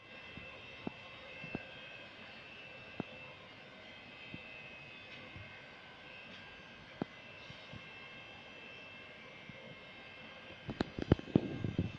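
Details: A steady mechanical drone like an aircraft or vehicle engine, with scattered sharp clicks and a burst of handling knocks near the end; no animal voice is heard.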